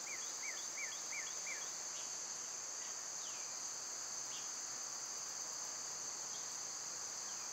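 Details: An even, high buzzing of cicadas in summer continues throughout, opening with a fast series of five repeated bird chirps, then a few scattered slurred bird notes.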